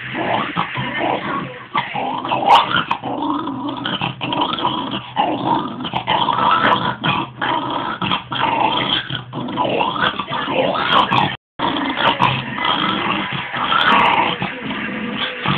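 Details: Pet dog growling at a ball, a continuous rough rumbling growl with whiny upper tones running almost without pause for the whole stretch, one brief dropout near the end, no other clear sounds.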